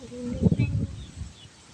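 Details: Young goat kid suffering from a cold and cough, giving short, rough, low-pitched coughing bursts packed into under half a second, with a brief nasal tone just before and quiet background afterward.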